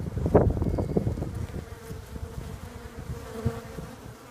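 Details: Droning hum of bees, settling into a steady even tone after the first second and a half, joined early on by a faint thin high whine and heavy low bumps and rumbling noise.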